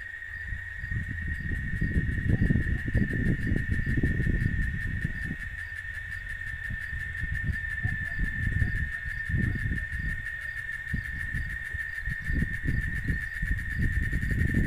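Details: Cicada chorus recorded in Oaxaca, Mexico: an unwavering high buzzing tone sustained for the whole stretch, accompanied by repeated low rumbling gusts that swell and fade.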